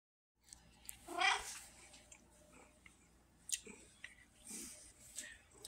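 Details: Pumpkin, a female red tabby house cat described as vocal and Siamese-like in personality, October 2023; one loud meow rising and falling around the one-second mark, then a quiet indoor room with faint rustles and clicks.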